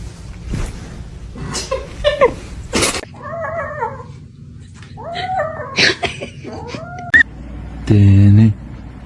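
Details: Domestic cat indoors making several short wavering meows and yowls at mid pitch, scattered between bursts of human talk, laughter and clatter, ending with a loud buzzy noise.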